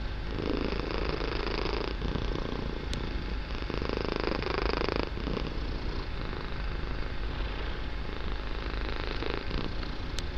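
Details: A kitten purring very loudly in a room during a calm, relaxing session: a long unbroken low rumble with soft rhythmic breathing swells, plus two sharp faint clicks.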